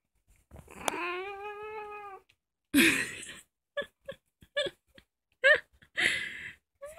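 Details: Young female ginger house cat, about two years old, the youngest in the family, recorded indoors at night while playing: one long, steady, harmonic meow lasting over a second, followed by soft thumps and rustling handling noises.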